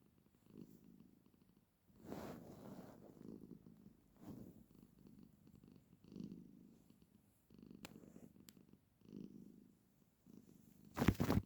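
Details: Female pet cat purring while sitting with her owner indoors: a low, steady rumbling purr in repeated breathing cycles, broken by soft rustling bursts and a sharp scratchy noise near the end.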